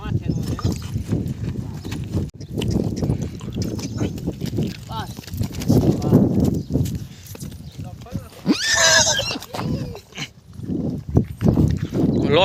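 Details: Mare with her foal: a single loud, shrill whinny about two-thirds of the way in, amid repeated hoof clops and a man speaking Gujarati throughout.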